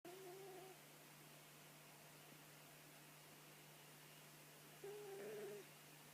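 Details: Sleeping cat snoring softly: two short, faint, whistling nasal tones about half a second long, spaced roughly four seconds apart, over a steady low electrical hum.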